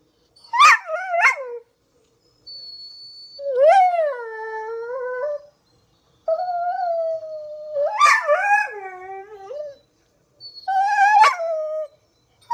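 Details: Pit Bull howling while watching squirrels on TV: wavering whined howls with sharp yelping bursts in between, in several separate rounds over about twelve seconds, silent gaps between them.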